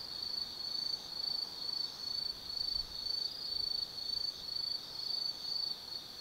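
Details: Autumn insects singing at night in the forest at Tsukimi no Mori, Kaizu, Gifu Prefecture, Japan, above the Nobi Plain: a high, steady chirping band in pulsed bursts roughly twice a second, with faint background hiss.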